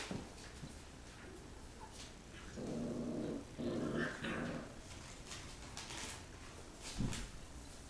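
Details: Rottweiler puppies play-fighting after a meal: short rough growls in bursts, a loud one of about a second then a second burst, among scrabbling and tapping noises indoors.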